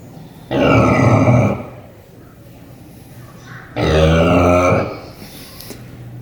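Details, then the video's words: Pig sleeping at Paradise Wildlife Park, snoring loudly: two long, rough, grunting snores about three seconds apart, each lasting roughly a second, with quiet breathing between them. "Snoring Pig"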